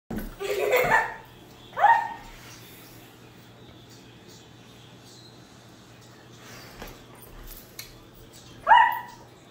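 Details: Bernese Mountain Dog named Koda Bear chasing bubbles, letting out short, bright yelping barks: one near the start, another at about two seconds and a last one near the end, with quiet stretches between.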